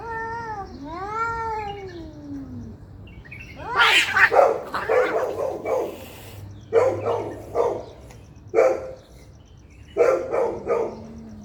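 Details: Angry cats fighting loudly. A long, wavering, harmonic yowl rises and falls, then gives way to harsh, noisy spitting and hissing bursts that come in clusters of three to four with short pauses between them.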